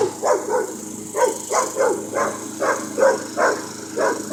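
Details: Puppy barking at a lawn mower, picking a fight with the moving machine: a rapid series of short, sharp barks, about three per second, over a constant mechanical hum from the mower.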